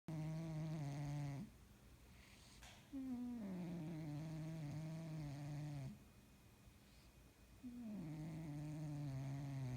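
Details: Domestic cat snoring while asleep: long, droning, tonal snores with a low buzzy hum, each lasting about one and a half seconds and slightly wavering in pitch, separated by quieter breathing pauses of one to two seconds in a quiet indoor setting.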